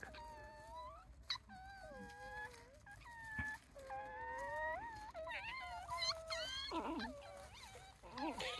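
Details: Several wild tanuki pups from a family of about eight at Kushiro Marsh, Hokkaido, Japan, give drawn-out whimpering wails that slide up and down, some long and wavering, others short and broken, while a man speaks nearby.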